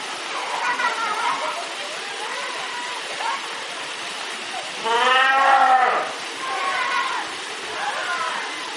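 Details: Fur seals swimming in a pool give loud, bleating calls with wavering harmonics, one longer cry standing out.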